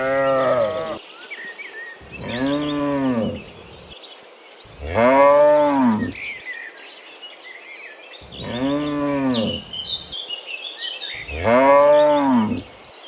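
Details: Dozens of cows walking home from the fields to the pen in the afternoon; five long harmonic moos, each one to two seconds, spaced every two to three seconds, over faint bird chirps and insect background.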